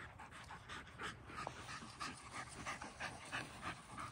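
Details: Dog panting after evening playtime, one of an Akita, a Malinois and a Corgi winding down before bed. Quick, regular breathy pants come about three per second, soft and even, over faint low background noise.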